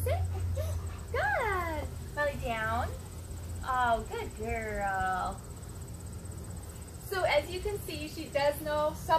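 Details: Molly, a nine-month-old husky Labrador mix, gives a run of drawn-out, tonal whining calls that slide downward in pitch, several in quick succession, then shorter yelps later on, with a person talking in the background.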